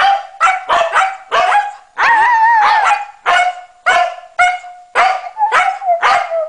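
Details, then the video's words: Norwegian Elkhound joining a Husky in a sing-along: quick choppy yelps and barks in a rough rhythm, interrupted by a drawn-out wobbling howl, as a woman comments that the dog is yelping rather than singing. "Norwegian Elkhound Maddie sings with Husky"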